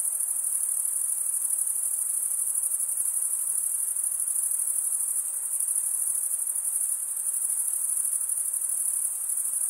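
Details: Male crickets stridulating, rubbing one wing's toothed vein against the other: a dense, continuous high-pitched trill held steady throughout, with a faint broadband hiss beneath and no other animals or voices.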